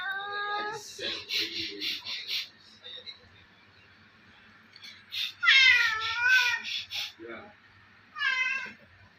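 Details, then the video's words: A playful pet cat giving weird, drawn-out meows, several wavering up and down, with a short chirp between. Human speech and laughter come in bursts around the cat's calls. "He's giving me weird sound"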